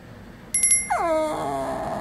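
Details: Shih Tzu puppy whining at its owner, as if talking back; a single drawn-out whine that drops sharply and then holds steady and nasal, preceded by a few brief high squeaks, indoors.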